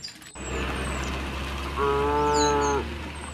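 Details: Village cows on their afternoon walk home to the pen: a single one-second moo rising over a constant low engine-like hum, with faint bird calls above.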